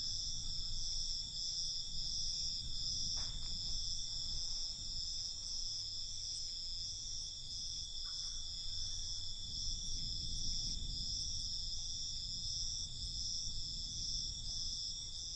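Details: Crickets chirping at night in a dense, steady high trill, with soft low-frequency rumble and a couple of brief faint clicks in the background.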